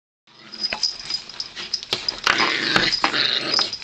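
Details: Several Yorkshire Terriers playing with each other: scuffling, rough play noise with short, irregular growls and whimpering yips, bright and hissy throughout, with no steady rhythm.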